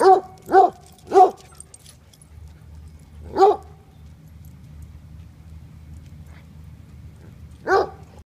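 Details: Playful barking from a 12-month-old female Black Russian Terrier: three quick deep barks, then a single bark after a short gap, a long quiet stretch, and one final bark.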